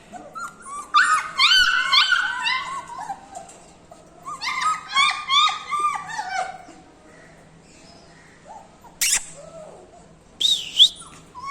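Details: Litter of puppies for sale in India, recorded 7 December 2020; many thin, high whimpers and squeals tumble over each other in two dense bursts, then fade to scattered cries and a sharp knock.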